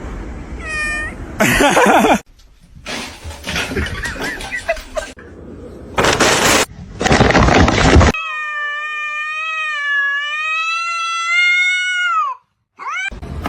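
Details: Domestic cat giving a long, drawn-out, steady meow lasting about four seconds that drops in pitch at the end, after bursts of noisy rustling and handling, with a person talking nearby.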